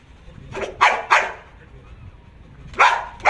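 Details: Belgian Malinois named Jax in obedience and guard-dog training, barking on command without attacking: four sharp, loud barks, two close together near the start and two more after a pause, over faint background noise.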